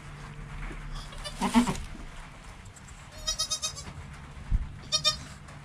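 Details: Joel, a goat kid in the first hour of life with his calm mum Penny, recorded by GoPro: a quavering bleat, then a stuttering burst of several pulsed bleats and a final short cry, over a faint steady hum.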